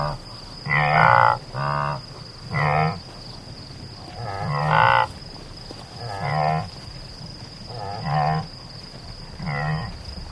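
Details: Antelope giving short, nasal, harmonic bleating calls, each under a second, repeated about eight times in ten seconds with brief pauses between; a steady high-pitched whine runs underneath throughout.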